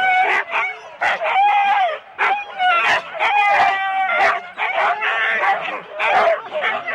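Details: Four-dog Husky sled teams waiting for the start at Rendlesham in January 2016, captured on analogue tape: loud harmonic yelps and howl-like wails in bursts with brief gaps, several dogs calling together, faint human voices beneath.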